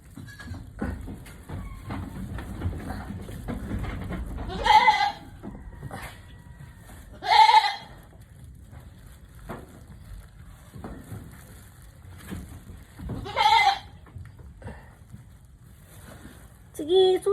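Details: Mother goat named Susi in a difficult labour, her kid's head already showing. Four loud, wavering bleats come at about 5, 7.5, 13.5 and 17 seconds, with quiet gaps between them. Soft human voices and rustling sit underneath.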